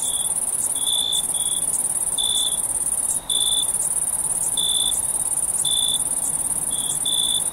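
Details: Crickets chirping at night in summer: a steady, very high shrill trill runs throughout while lower, short clipped chirps sound in uneven bursts about every half second to a second, over soft broadband background hiss.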